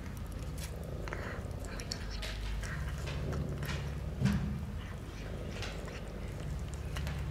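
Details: Sick stray cat rescued and taken to the vet in Istanbul, now hugging the man who helped her: deep close purring, loud and rumbling, with soft rustles and a short sharp noise midway.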